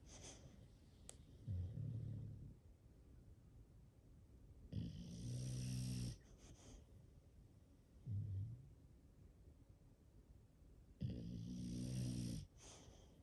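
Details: English Bulldog sleeping indoors, from a home with five bulldogs: alternating soft short inhalation snorts and longer, louder rattling snores, each cycle roughly every six seconds, with a quiet room between breaths.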